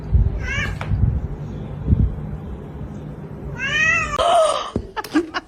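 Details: Cats meowing in short bursts: a brief falling meow early on, then after a pause a longer, louder harmonic meow flowing into a strained, rasping cry, with thumps and low background rumble.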